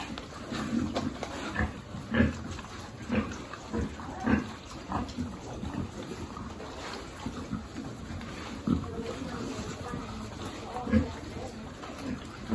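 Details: Feeding time for piglets in a farm pig group: soft low grunts repeated irregularly about every second, mixed with shuffling and a faint murmur of other noise.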